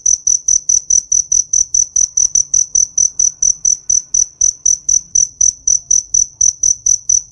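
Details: High, ringing cricket chirps from a summer field, pulsing rapidly and evenly about four times a second, with a faint low background rumble.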